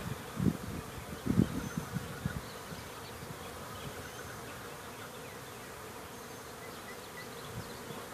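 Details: Honey bees coming out of their hive after rain: a couple of loud low buzzes as bees pass close early on, then a softer steady hum of many bees in the background.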